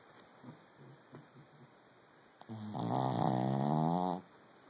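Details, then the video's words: A Brussels Griffon in REM sleep breathes softly with faint snuffles, then lets out one loud, drawn-out snore of almost two seconds, rough and harmonic with a wavering pitch. A steady background hum is present. "loud snoring Brussels Griffon"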